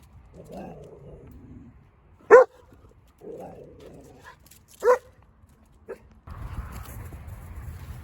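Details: Catahoula Leopard Dog awaiting adoption at a shelter, recorded 25 July 2023: two sharp, loud barks about two and a half seconds apart, then a softer short one, with low murmuring between them and a steady hum at the end.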